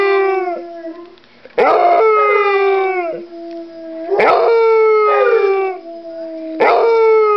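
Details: Dog with a bone giving loud, rich howls that start with a sharp yip then glide down, about every two to three seconds, a person faintly heard.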